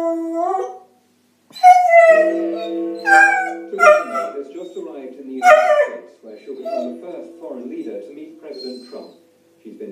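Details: A beagle howls along to the Big Ben chimes of the BBC Radio 4 Six O'Clock News, a daily habit, in long wavering, rising notes over the ringing chimes and the radio voice.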